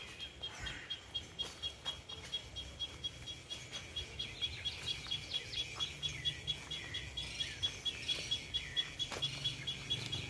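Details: Cicadas sing a high, buzzing chorus with a steady pulsing beat about twice a second, near 11 in the morning under hard sun.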